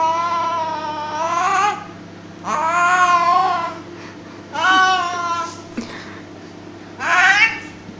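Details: A cat playing tug of war with a duster at home gives four rapid, rising-and-falling yowling meows roughly every one and a half seconds, with a brief knock between the last two.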